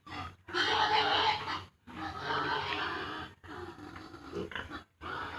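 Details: Farm piglets aged 32 days, just separated from the sow, making long, harsh, noisy grunting cries in four drawn-out bursts broken by brief silent gaps.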